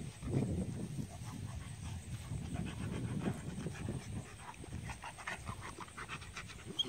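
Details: Two Rottweilers, a 5.5-month-old female puppy and a 1.5-year-old male, playing roughly together on her sixth day in the home; deep, rumbling growls come in irregular bursts, mixed with panting and scuffling.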